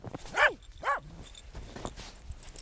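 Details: Corgi playing in the snow, giving two short, sharp, arched barks in quick succession, followed by quieter rustling.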